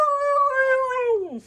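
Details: Siberian Husky giving a short, steady, tonal wail that slides downward at the end, with a person talking nearby.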